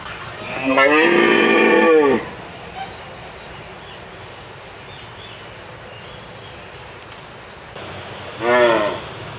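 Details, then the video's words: A red deer stag roars during the September rut (4 September 2017), announcing his presence on his territory to hinds: a long, harmonic bellowing roar, then a second shorter roar. "Red deer - Cervus elaphus - Rika evropskog jelena"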